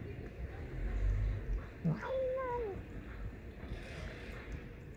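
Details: Loud, cheeky stray cat met on the street lets out a drawn, bending meow with rising and falling harmonics near the two-second mark, preceded by a brief lower sound; low traffic-like rumble underneath.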